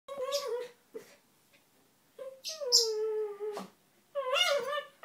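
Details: Two small dogs, Donut the red toy poodle and Dino the Maltese, wrestling in play, not fighting or biting; bursts of whiny, moaning vocalizations with wavering pitch, some sliding downward, separated by short quiet gaps.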